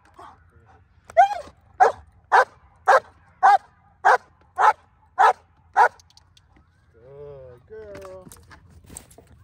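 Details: Female German Shepherd in hold and bark training for an IGP1 trial gives a run of nine sharp evenly spaced barks, about two per second, followed by a handler speaking and a short whine.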